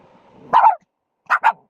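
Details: Pomeranian barking: one short, sharp, mid-pitched bark, then after a brief silence a quick double bark, three yaps in under two seconds with a faint murmur of background noise before the first.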